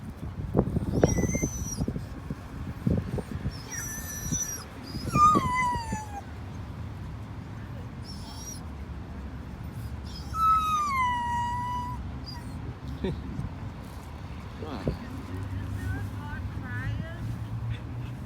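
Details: A Jindo dog gives high, wavering howls and whines that slide up and down in pitch while its owner goes out to buy cat food.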